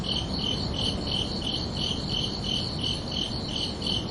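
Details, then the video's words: Crickets chirping at night on a summer evening, a crisp, high trilled pulse repeating about every third of a second without pause, backed by a faint broad rushing noise. "Calming Cricket Sounds for Relaxation"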